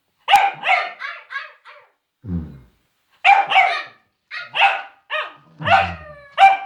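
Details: William, a scared Cavalier King Charles Spaniel, barking at silliness; quick series of sharp, high barks in clusters of three to five, with a short low growly sound between groups and a trailing whiny bark at the end.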